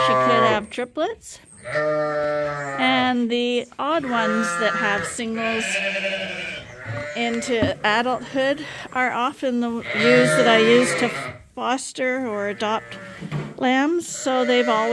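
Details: Many bottle-fed lambs at Ewetopia Farms, still with their mothers but topped up twice daily on a hand-made bottle feeder, bleating over one another: wavering, nasal cries overlapping almost continuously, some short, some drawn out.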